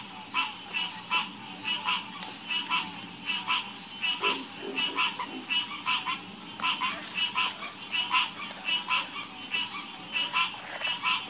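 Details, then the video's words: Chorus of frogs, many croaks stacking into a rhythmic, rasping pulse of roughly one call per second, over a steady high-pitched background hum. "Sleep Like A Baby With The Calming Sound Of Harmonious Frog Croaking"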